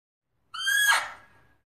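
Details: A single loud bark from a Fea's muntjac: a strained, nasal cry that starts steady, then breaks into a rough, falling tail lasting about a second. The surroundings are silent.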